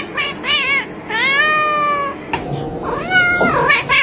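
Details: Loud, close domestic cat meowing with almost no pause: wavering, wailing cries that rise and fall, one long steady drawn-out mew, then bent, overlapping calls.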